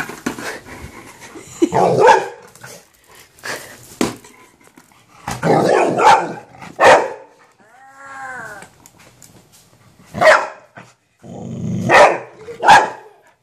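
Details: Golden retriever reacting to a minion toy on first meeting barks repeatedly indoors: about six sharp, harsh barks spaced irregularly, with a brief tonal wavering toy voice between them and light panting-like breaths.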